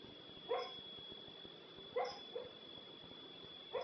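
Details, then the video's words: Female dog making odd noises while asleep: short, muffled yip-like bursts, some doubled, spaced about one to two seconds apart over a faint steady high-pitched hum. "dog makin weird noise"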